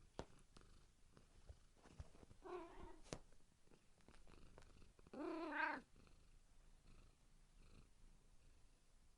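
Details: Cat meows twice: a soft, faint meow first, then a louder, rising-falling meow a few seconds later, over a background of light clicks and room noise.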